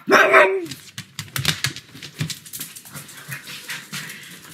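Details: Pug dog barking loudly indoors at home on a sunny afternoon: one strong, harsh bark at the start, followed by quieter scattered tapping and clicking noises.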